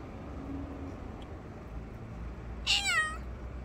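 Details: Grey and white cat meowing from under a bench: one clear, slightly falling meow lasting about half a second, after a long stretch of low steady background rumble.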